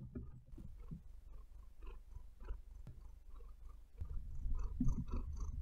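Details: Pet cat Maia purring close up indoors: a steady low rumble with soft breathy pulses, mixed with scratchy rustles as her claws sink into the bed, growing louder near the end.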